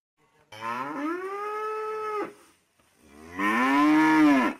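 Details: Ox bellowing, described as a Berrandi bull, gives two long, loud, harmonic moos, the first steady and drawn out for nearly two seconds, the second rising harsher and louder after a short pause.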